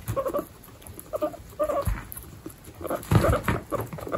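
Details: Pet guinea pigs, baby guinea pigs kept with pregnant females in a household of 29: short tonal calls with stacked harmonics come in bursts about every half second to second, mixed with soft rustling and low thumps.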